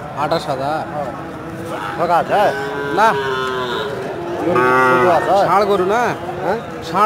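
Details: Several cows low repeatedly, with drawn-out, rich harmonic moos that rise and fall, some overlapping one another. Human voices talk in the background throughout.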